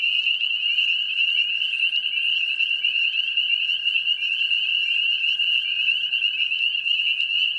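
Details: A dense mating-season chorus of spring peepers (Pseudacris crucifer): countless high, piercing peeps and trills overlapping into a continuous shrill ringing.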